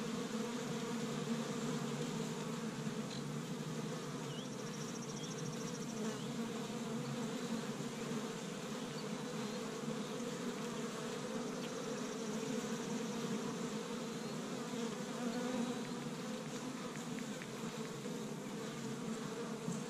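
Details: Honey bees of an established hive in Michigan, busy on the first warm day of spring, gathering pollen from tree buds; a dense, steady low buzzing hum of many bees fills the whole recording without a break.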